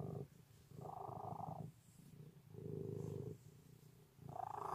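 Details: Loud purring from a pet cat: deep, pulsing rumble that rises and falls with each breath, roughly three swells in under five seconds, the stronger phases carrying a brighter buzzy edge.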